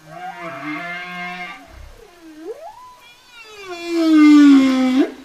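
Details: Singing whale: a low harmonic moan, then a swooping upward glide, and a loud drawn-out tone falling steadily before a sharp upturn at the close; clean, quiet background.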